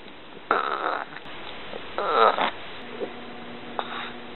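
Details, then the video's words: Little dog burping indoors: three short, throaty bursts, the first two about half a second long and fairly loud, the last brief and faint, with a low steady hum in the room behind. "Little Dog Burps"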